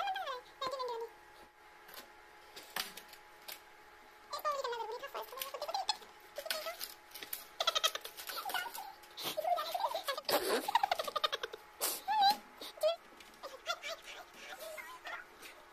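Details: Angry white tabby kitten, indoors, giving a long string of wavering, bent meows and drawn-out complaining calls. The calls come in short bursts separated by brief pauses and grow louder and more strained toward the end, with soft patter and rustling between them.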